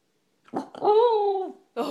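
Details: A female corgi gives a drawn-out, warbling groan-howl like Chewbacca's roar. She began making these noises in the mornings and was trained to do them on command.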